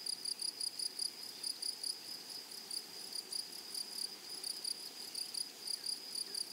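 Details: Meadow grasshoppers in flowery prairie grass keep up a shrill, pulsing buzz. Rapid bursts repeat several times a second on one unchanging high pitch, with a fainter overtone above, over quiet background hiss.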